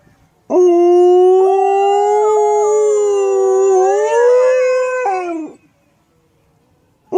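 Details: A dog gives one long, loud howl lasting about five seconds, a steady rich tone gently rising before falling off, followed by silence.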